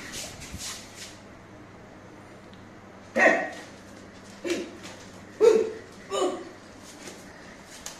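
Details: A new Labrador Retriever puppy lets out four short, sharp barks spaced about a second apart, each a brief burst, following a quiet stretch with a low steady hum in the background.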